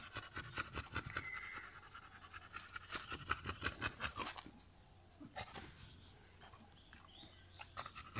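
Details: Chongqing Dog, a landrace breed from Sichuan, China, kept at a kennel, panting rapidly at roughly two to three breaths a second, fading briefly midway and then resuming more softly.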